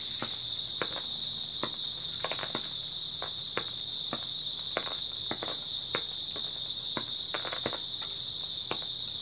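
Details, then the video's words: Many grass insects chirp through an early autumn night as one unbroken high-pitched hum, with short sharp ticks and snaps sprinkled over it, some arriving in quick pairs. "초가을 밤부터 새벽까지 백색소음 풀벌레 소리"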